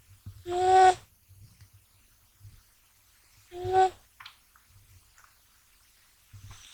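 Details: Deeply asleep male American Shorthair kitten named Gash snores indoors, staying asleep despite being touched; two steady, tonal, whistle-like snores about three seconds apart, with faint rustling between.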